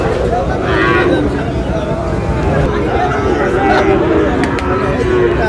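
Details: Sahiwal bull calves being traded at Ambari market, Dinajpur, 10 July; faint, wavering low moos run through the clip beneath loud bargaining voices and crowd noise.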